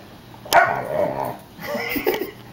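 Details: Basset Hound puppy almost five months old, asked to 'say mama' during trick training and being a little stubborn, gives a short yelping bark followed by softer drawn-out whining moans over about two seconds.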